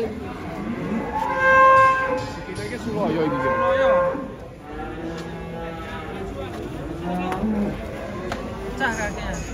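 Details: Lame giant cow coming down from a truck, giving long rising-and-falling moos with bright harmonics, two strong calls in the first four seconds, then softer lowing, with faint music and voices.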